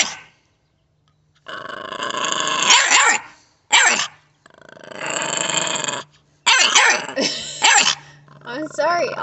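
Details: American Bully puppy making long rasping growls and sharp barks in bursts, alternating with silence, a woman talking to the puppy close by.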